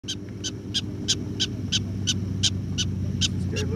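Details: A prairie dog in Custer State Park, 4 August 2012, gives sharp, high chirping barks, about three each second, over a low rumble.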